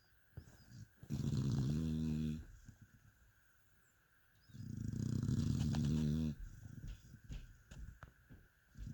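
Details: Sleeping dog named Mia snores in two long, low, rattling breaths about a second and a half each, separated by quiet pauses with faint clicks and room hum.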